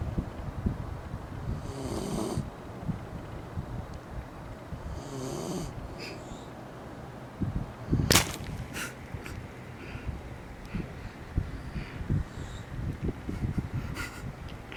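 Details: Shiba Inu named Eri snoring while asleep with eyes open, on a hot summer day; breathy, broadband snore bursts roughly every three and a half seconds over low rumbling, with a sharp knock near the middle and scattered clicks.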